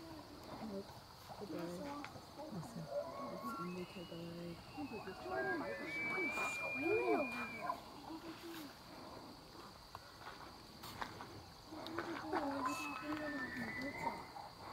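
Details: Free-range bull elk during the September rut along the Missouri River, Charles M. Russell National Wildlife Refuge, Montana; several high whistled bugles rising and sliding near six to eight seconds, with lower grunting calls, overlapping callers and a steady background hiss.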